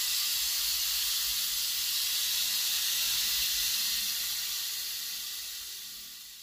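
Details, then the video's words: Captive rattlesnake kept in a private collection, described as the largest viper in the United States; a steady, loud, airy hiss runs unbroken for about six seconds, fading slightly toward the end, with no other sounds. "BEGINI LAH BUNYI ULAR VIPER TERBESAR DI AMERICA SERIKAT"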